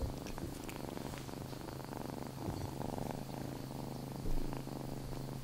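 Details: Indoors, the kitten Lana, wearing a paper cape because she kept running around the room, gives a continuous deep purr, evenly pulsing, with light rustling and one brief louder bump near the end.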